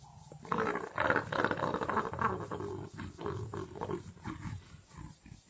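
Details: Leopard mother playing with her cub, giving rough, low growling grunts in quick bursts through the first seconds, then softer rumbling calls fading toward the end, with a faint steady hiss in the background.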